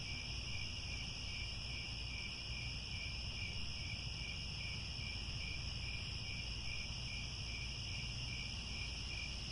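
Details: Crickets at sunset in the grasslands around Angkor Wat, Cambodia, forming a dense, unbroken high trilling chorus in several stacked pitch layers, steady throughout, over a low rumbling background hiss.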